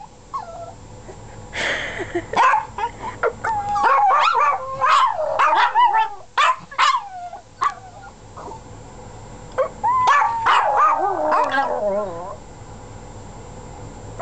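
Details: Several pet dogs howling together: wavering, mid-pitched howls overlap with short yips and whines in rapid bursts. A long falling howl closes the chorus near the twelfth second, followed by quieter background.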